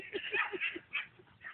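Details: Dobermann named Tyra meeting a new friend at a puppy park, rolling on the ground to entice it to play; short high yips and whimpering sounds repeated quickly, with people talking nearby.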